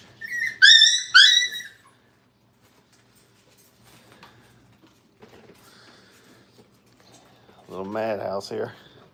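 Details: Five-week-old Brittany puppies in a crate during crate training. High, wavering whines with bright overtones fill the first two seconds, then near silence, and a person's voice sounds near the end.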